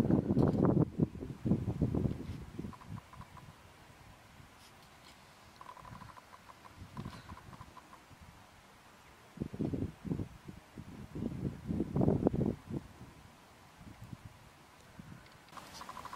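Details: A red deer stag gives deep, groaning roars in bursts during the autumn rut at Tatton Park in October 2015.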